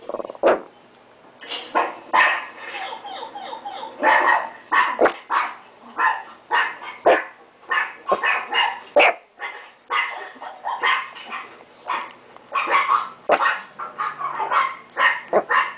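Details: Chihuahua kept as a pet barks in quick, high-pitched runs of yaps with brief gaps, a few yips stretched and wavering, faint hum underneath.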